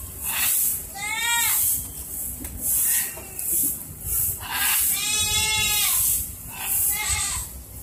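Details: Goats waiting for dinner after cleaning, beside a neighbouring blue-and-yellow macaw, give three wavering, nasal bleats, each under a second, spaced a few seconds apart over a steady hiss.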